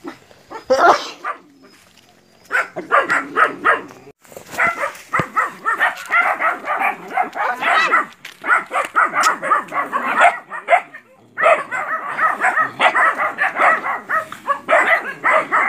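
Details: Nine puppies confront a large water buffalo in a training session before going into the field, Porbi Sumbar, West Sumatra, Indonesia. Dense, overlapping high yapping barks pour out almost continuously, breaking off briefly near the start and again around eleven seconds.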